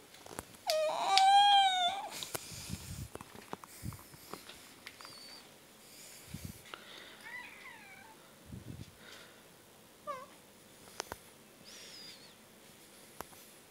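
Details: A 'talking' pet house cat, said to ask for food this way, lets out a single loud meow that rises and then falls, lasting over a second. A quiet room follows with scattered soft knocks, clicks and a few faint short chirps.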